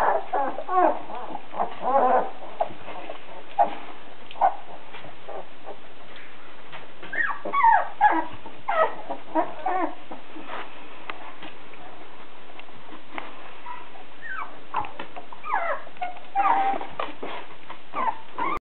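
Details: Perro de Agua (Spanish Water Dog) puppies, sixteen days old, from a litter born 31 August 2009 in the Netherlands, giving repeated short high whimpers and squeaky yelps, rising and falling, in irregular bursts across the recording.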